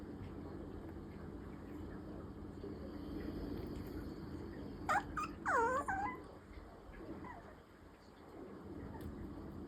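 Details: Clingy Maltese-Pomeranian mix puppy whining for affection: a short burst of three or four high, wavering whines that slide downward in pitch midway through, set against a steady low indoor hum.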